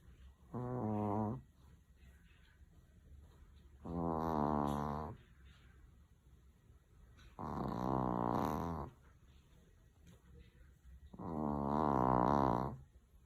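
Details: Chihuahua asleep indoors, snoring loudly: four long raspy, buzzing breaths, each a little over a second, repeating roughly every three to four seconds with quiet gaps between.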